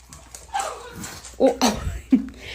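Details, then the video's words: Pet dog, excited on hearing that papa is home, lets out a run of short high whines and yelps, four or five tonal bursts sliding up and down, with a faint background hum. "Dog excited when mom says papa is home"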